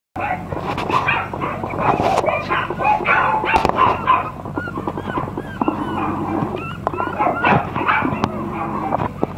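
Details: Silver Toy Poodle puppy giving quick, high yipping barks mixed with whimpering whines, busy and irregular throughout, with human voices talking over the dog in the background.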